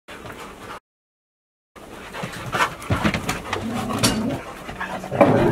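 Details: A dog called Funny, in a chase game at home on a heatwave-advisory day: after a second of silence come excited, uneven barks and whimpering yelps mixed with other noisy household sounds.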